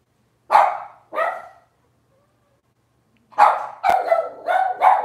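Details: Cavalier King Charles Spaniel puppies from Robin's litter yap indoors during a livestream. Two quick yips come first, then after a silent gap a rapid burst of several overlapping yaps, with a sharp click among them.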